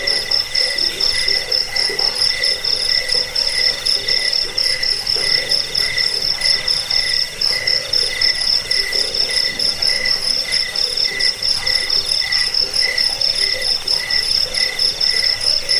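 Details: Chorus of crickets used as a rat-repelling, sleep-inducing and bird-tutoring recording: continuous shrill pulsed trills stacked at several pitches, rapid and unbroken throughout, with no other clear sounds.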